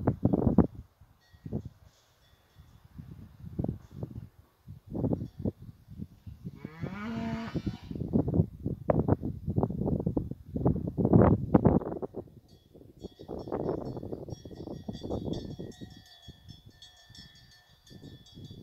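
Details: Fighting bull cows of the La Paloma brava herd out in the hill pasture. A single drawn-out, harmonic moo lasts about a second near the middle, surrounded by dull thumping steps and rustling, with faint high tones later.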